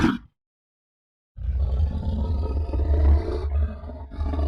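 A bear gives a deep, rumbling roar that rolls on for several seconds after a brief pause.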